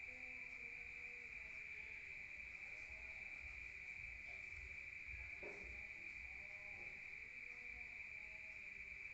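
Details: Countryside crickets at night, heard from within a room: a constant shrill trill rings at one high pitch without pause, with a soft thud near the middle and faint low sounds.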